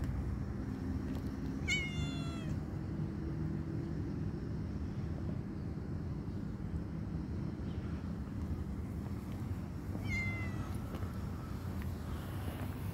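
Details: Calico cat, playful and hungry, gives two short meows several seconds apart, each a bright harmonic cry, over a steady low rumble of outdoor noise.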